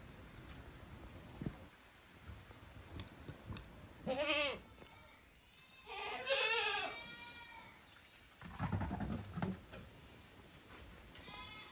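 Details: Savanna goat in Brazil bleating in loud, wavering, arched cries, three main calls about two seconds apart and a fainter one at the end, over steady insect hiss and low farmyard noise.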